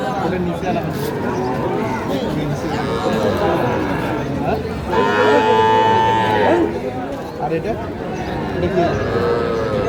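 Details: Moos from cattle at a market in Pabna, Bangladesh, where a farmer buys small bull and heifer calves. A strong, wavering moo stands out midway through a dense background of human chatter and scattered quieter calls.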